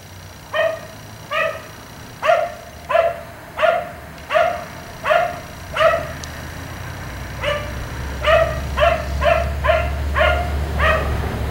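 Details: Black Labrador retriever left outdoors until 1am barks steadily, single loud barks roughly every two-thirds of a second, then a quicker run of barks while a low engine-like rumble rises underneath.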